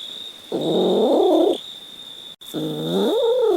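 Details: Domestic cat meowing: two drawn-out, nasal meows of about a second each, the second bending upward then falling away, over a steady high-pitched electronic whine.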